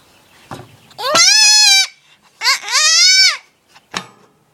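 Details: Two-day-old goat kid screaming: two loud, drawn-out, wavering bleats, each about a second long, separated by a short pause, with a few faint clicks and knocks around them.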